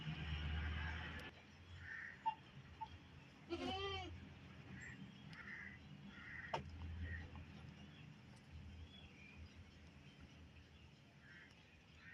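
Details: Baby goat grazing on a rural village farm gives one short, wavering, quavering bleat near the four-second mark, rich in harmonics. Harsh crow-like caws sound repeatedly in the background over a low outdoor rumble.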